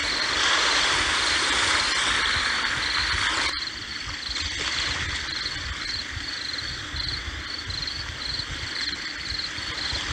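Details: Crickets behind a roar of sea waves: the first seconds are swamped by louder surf, then the high, trilled chirps emerge clearly, repeating about every half second over softer wash.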